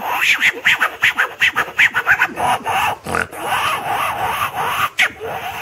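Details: Monkeys and langurs at Kunjapuri, 18 km from Rishikesh, give rapid, harsh grunting calls in quick bursts of several pulses each second.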